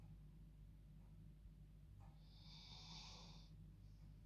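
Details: Sleeping female dog snoring humanlike while enjoying her bed at bedtime: one drawn-out, airy rasping snore lasting about a second, after a quiet breath, with a constant low background hum.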